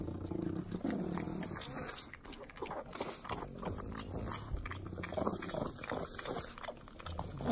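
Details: Sloppy wet smacking and licking from three pugs eating butter in Southern California's Inland Empire, with steady low snorting breaths running underneath.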